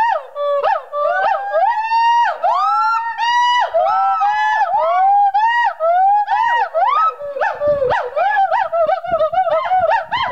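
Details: Gibbons singing at the Gibbon Conservation Center, Santa Clarita, California: loud, swooping whoops that slide up and down in quick repeated phrases.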